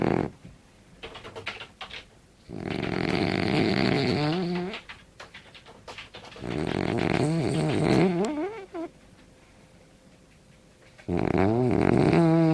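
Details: French bulldog snoring loudly: long raspy, gurgling breaths with wavering snorts, three big snore bouts separated by quieter stretches, indoors.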